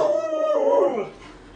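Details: Short wavering howl from Lolo, a pet Alaskan Malamute, rising and dipping before trailing off, in a quiet indoor setting.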